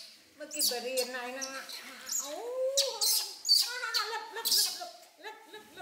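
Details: Infant monkey Poy wailing in protest at bath time, with baby monkey Nita nearby. A series of harmonic cries, some falling and one sharply rising, come in uneven bursts among faint watery clatter.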